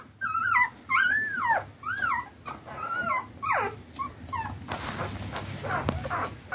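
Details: Newborn standard wire-haired dachshund puppies, three days old and eleven in the litter, jostling to suckle from their mother: arched, wavering whimpers repeated about once a second, then fading into shuffling noise.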